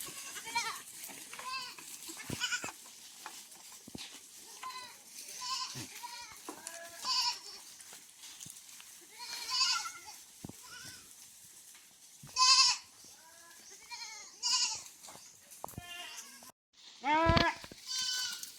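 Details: Many farm goats bleating, said to be very thirsty in extremely hot weather: overlapping wavering, nasal bleats from several animals, some faint and distant, with a few loud close bleats near the middle and end, and a brief human voice.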